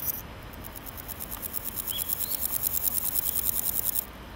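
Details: Naki-inago grasshopper, a male, singing from grassland by scraping hind legs on wings, producing a steady four-second run of quick, evenly spaced high rasping pulses that grow slightly louder, with a faint bird note in the middle.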